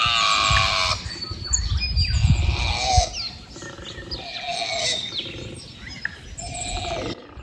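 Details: A koala in a tree on a rural property in Victoria, Australia, in late November, bellows with deep, rasping, asthmatic-sounding snorts and grunts while birds chirp and whistle overhead.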